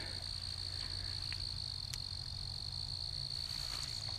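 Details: Crickets, possibly mole crickets, chorus at night in a backyard where wolf spiders hunt, with a steady, high-pitched continuous trill over a low background hum.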